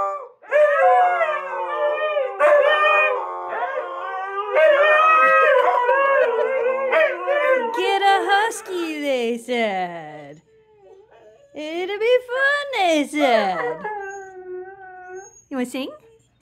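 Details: A Siberian Husky female howls on command. Long warbling, harmonic howls run for ten seconds and slide downward. After a short pause come rising, swooping yodel-like cries and a final short howl.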